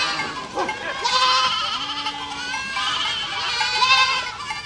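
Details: Goats in a herd bleating, a chorus of high vibrating cries rising and falling, with one lower held bleat in the middle and renewed loud overlapping calls toward the end.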